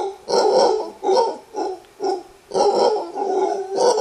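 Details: An alpha male mantled howler monkey in a wild Costa Rica troop gives a warning roar in bamboo forest: six harsh, grunting roar pulses roughly every half second, deep and raspy.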